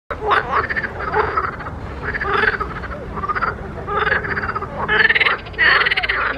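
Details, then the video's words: Frogs calling in a pond, a chorus of pulsed, rattling croaks in bursts roughly every second, several callers overlapping, with brief quiet gaps between groups of calls. "grenouilles chantes croasses leurs mélodies des grenouilles dans un etand d'eau"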